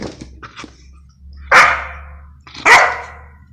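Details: Belgian Malinois (Belgian Shepherd) barking on the command "speak" during personal protection training: two loud, sharp, harsh barks about a second apart, after a few faint soft sounds, with a low steady hum underneath.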